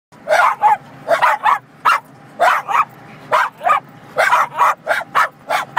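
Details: Several Cairn Terriers barking inside a car on the highway as it passes semi trucks, sharp high yapping barks in quick irregular bursts, often in doubles, over a low steady road rumble.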